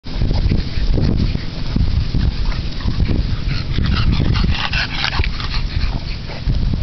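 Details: Bulldog parents Ch. Artemis Cormack and Ch. Brookhollow Artemis Delilah playing with their 8-week-old puppy girls; dense low rumbling and scuffling of play, with faint short whimpers over steady background noise.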